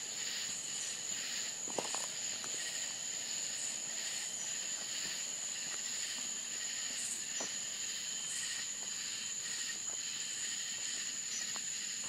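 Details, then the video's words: Night chorus of crickets in rural Florida, a sustained shrill tone and pulsed trilling chirps, interrupted by scattered sharp clicks and taps close by. "Country Crickets Sounds Night Time in Florida"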